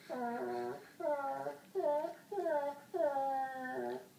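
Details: Indoors, white Labrador Sadie, seven, keeps complaining to get pug Holly to play: five sing-song, wavering whines, each dipping and rising in pitch, spaced about once every second or less.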